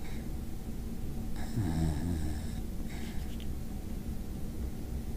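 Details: Mav, a Basenji dog, snoring: slow, low rumbling breaths with a raspy snort in the middle, heard indoors.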